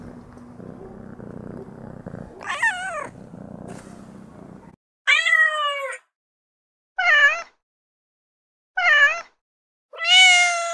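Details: Domestic cat in heat: an arched meow over a low rumbling background, followed by four separate bent, strained meows spaced about a second or two apart, the last one loudest.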